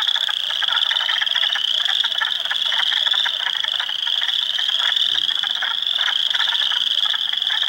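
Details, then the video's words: Early-April frog chorus in a swamp at Heartland Forest, Ontario, mixing spring peepers, wood frogs and eastern chorus frogs; unbroken high-pitched peeping blends with dense lower rattles and clucks, steady throughout. "Frog Sounds HQ HD"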